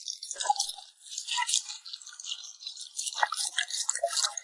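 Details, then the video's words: A puppy eating indoors, smacking its lips: a dense run of wet, crackly smacks and clicks, bright and sharp, with brief softer squelches mixed in and no other clear sounds. "the sound of a cute puppy smacking its lips"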